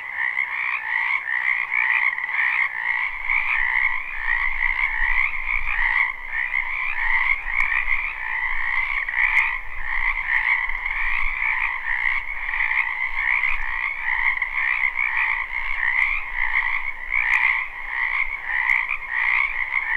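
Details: Wetland frogs in spring, recorded live: a continuous chorus of rapid pulsed croaks in two layered pitches, swelling and easing slightly, over a faint low rumble for most of the stretch and a few sharp clicks.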